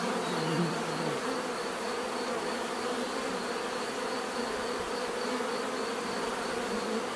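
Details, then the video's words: Dense humming of bees, an unbroken buzzy drone holding steady, with one individual buzz passing close early on. "bees therapy relaxing natural buzzing sound"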